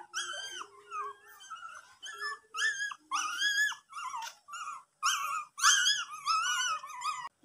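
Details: Steady stream of high, rising and falling whines from a pet dog, indoors, with short nasal yelps strung closely together and a few brief pauses.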